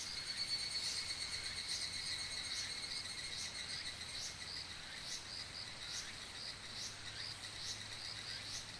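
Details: Oku-Mikawa higurashi cicadas: high, metallic pulsed calls repeat roughly every second over a continuous ringing drone. Several callers overlap, and there is a low steady hum in the background.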